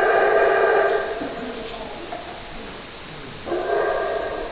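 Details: Howler monkey giving a deep, rasping roar that fades after a second, then a quieter stretch, then another loud roaring burst starting near the end.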